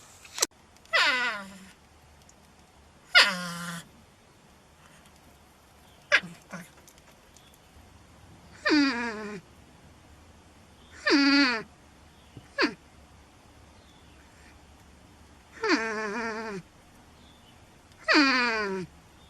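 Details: Porcupine giving a series of seven whining cries, each opening high and sliding down to a low held tone, spaced roughly two to three seconds apart against a quiet background.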